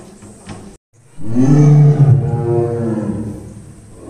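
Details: After a quiet start, a zoo tiger that has just been drinking gives a powerful, low, throaty growl of nearly three seconds that peaks early, then trails off gradually.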